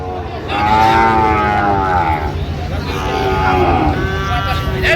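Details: Sahiwal bull at a crowded cattle market in Manikganj, Bangladesh, on 26 January: long drawn-out harmonic lowing swells and fades over several seconds, with men bargaining loudly and vehicle noise in the background.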